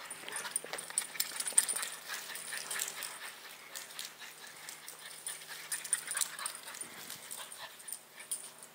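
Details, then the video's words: Excited French Bulldog in a manic burst, puffing out fast, scratchy, breathy snorts about four a second, loudest in the first two seconds and then settling into softer, steady huffing. "french bulldog spaz"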